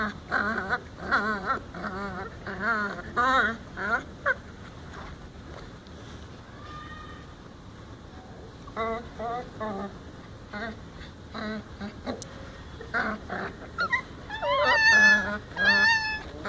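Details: Several hungry, angry puppies bark and yelp while begging for food around a person's feet. Short harmonic yelps come in quick bursts, pause mid-clip, then return as shriller rising squeals near the end.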